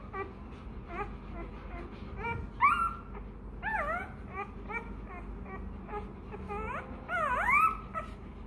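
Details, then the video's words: Hungry Rottweiler puppy crying for milk: short, high, bending whines, some rising then dropping, in scattered bursts that grow louder midway and again near the end, over a low indoor background hum. "Chó Kêu Đòi Sữa: Nghe Sao Thảm Thiết! Hungry! Where s Milk?"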